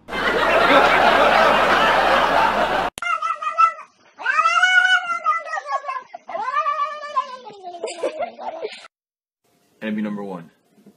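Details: Cat giving long, wavering, drawn-out yowls with strongly quavering pitch, several in succession, followed by a short lower cry; a burst of loud broadband noise and music precedes the calls.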